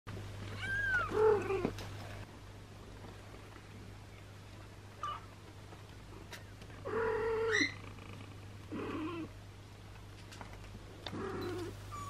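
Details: Kitten and mother cat, a sheltered long-haired British breed with three kittens of her own and an abandoned kitten: two short rising-falling mews about six seconds apart, with softer mews between, over a steady low electrical hum.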